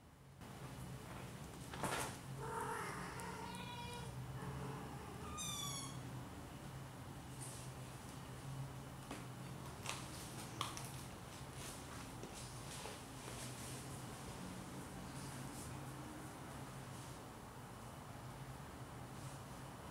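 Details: Four Siamese kittens playing with their parents on a Saturday afternoon give a few short, high mews in quick succession early on, then rustling, bumps and clicks of play over a low background hum.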